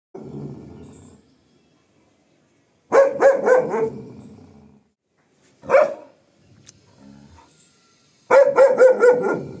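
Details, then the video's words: German Shepherd, a long-coat female guarding her home after a bath, barking at plants moved by strong wind; deep loud barks in bursts of several, separated by pauses, with a lower growly sound at the start. "German shepherd guarding her home with dangerously blowing wind."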